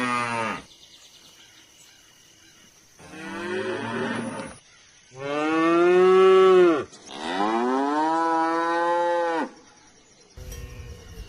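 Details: Cow mooing in a series of long, deep, harmonic-rich moos, each swelling then falling away, with four main calls separated by short quiet gaps and a brief noisy burst near the end.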